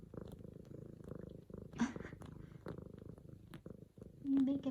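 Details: Female F2 Savannah cat purring while making biscuits on a leopard-print pillow indoors, greeting her owner home from work; low rhythmic rumble under a woman's soft talking, with a short higher squeak near the end.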